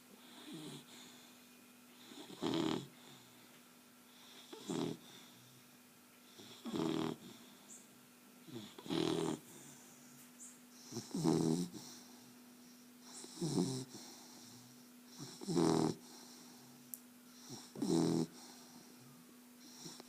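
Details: A dog named Beau snoring, with a loud rasping snore roughly every two to two and a half seconds and a steady low hum underneath between breaths.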